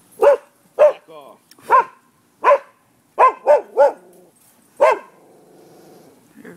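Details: Neighbourhood dogs barking at a property in Florida around noon on 5 November 2015: sharp, harmonic barks in quick succession, about eight in six seconds, some doubled, with a low tonal hum between them.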